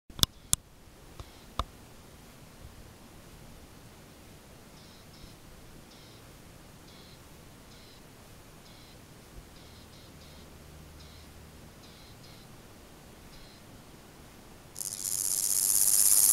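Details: Garrigue grasshopper (Omocestus raymondi) stridulating at Gissac, Aveyron, Midi-Pyrénées, France, on 31 August 2014; faint, short, high buzzy bursts repeated about once a second for roughly eight seconds, then a loud rushing hiss at the end.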